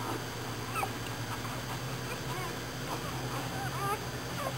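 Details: American Bulldog named Dixie whelping in the middle of the night, nine pups born in all, while being looked after by a friend; soft, high whimpering squeaks rise and fall in short bursts over a steady indoor fan hum.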